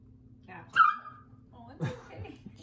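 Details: Dog yelping indoors as a golden retriever puppy meets a huge Rhodesian ridgeback: one sharp, high, falling cry, then a short rougher yelp, with a person speaking softly around it.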